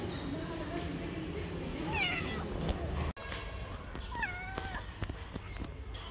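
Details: Street-living tabby tomcat, a handsome stray, producing several short falling meows around the middle and end, over constant low outdoor rumble with a sharp click near the midpoint.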